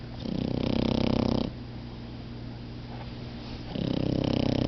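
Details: Two napping puppies, Momo and Lela, giving long drawn-out snores: a rough, rattling in-breath lasting over a second, a quiet pause, then the next snore starting, with a constant low hum behind.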